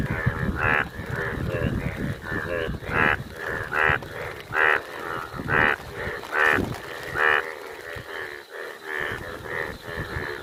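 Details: Rare yellow Indian bullfrogs calling in the rain, said to be playing there. Loud, hoarse, lowing croaks repeat at an uneven pace, roughly one a second, with several overlapping and rising and falling in loudness. Rain-like hiss fills the background.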